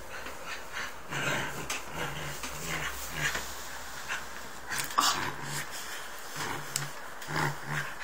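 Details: Three-month-old Bernese Mountain Dog puppy at play, giving low rumbling growls in short bursts separated by brief pauses, mixed with snuffling, panting and scattered clicks and knocks of movement.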